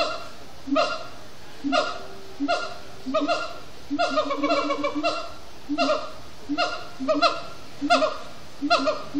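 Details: Extended singing from siamang gibbons at sundown, Disney's Animal Kingdom: repeated harsh, honking barks in quick clusters, some notes sliding downward, pulsing about once a second, growing busier midway.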